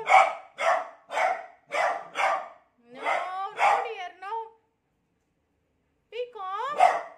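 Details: A beagle alarmed by a new cot fires off five evenly spaced barks, then a bark sliding into a quavering howl, falls silent, and finishes with a rising bay and bark.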